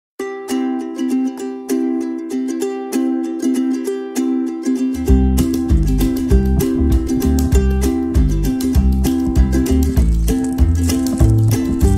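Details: Bright ukulele strumming joined halfway by a bass-heavy rhythm section, music only with no animal sounds.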